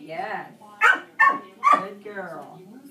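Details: Three loud, sharp dog barks in quick succession break into a shaping session with Dixie, who is reactive to other dogs. They are framed by a person's drawn-out spoken praise just before and after.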